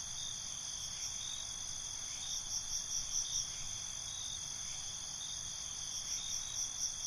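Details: Crickets at night in a continuous high-pitched chorus, steady shrill bands with faint pulsed trills rising and falling over the drone, no other voices.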